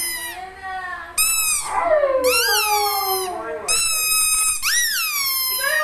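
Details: Pet Siberian Husky Coco Chan sings in short yowling phrases, each rising sharply then sliding down in pitch, almost meow-like, four or five bursts over a few seconds indoors.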